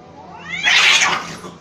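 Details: Fighting cat: a short rising yowl bursts into a loud, harsh, broadband screech or hiss, then fades within about a second.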